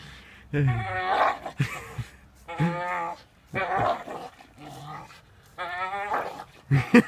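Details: A Staffordshire Bull Terrier hanging off a rope swing, playing and growling in several rough, strained bursts of about a second each, separated by short pauses.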